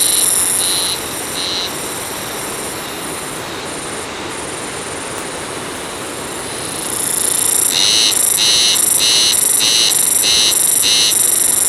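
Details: Haruzemi cicada calling in nature: a steady high-pitched buzz with faint pulses that drops slightly quieter, then swells after several seconds into strong rhythmic throbbing, roughly one-and-a-half beats per second.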